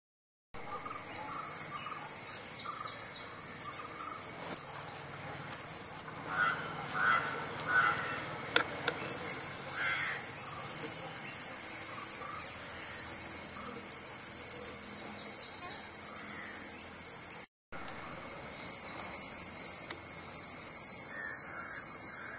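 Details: A green meadow katydid (Conocephalus melaenus) gives a steady, high-pitched buzzing song that runs almost without pause.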